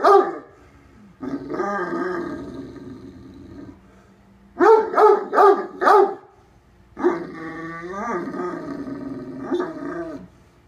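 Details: Deaf Great Dane at bedtime lecturing a cat to leave his place on the bed: long moaning growls, then four sharp barks in quick succession, then another drawn-out wavering grumble.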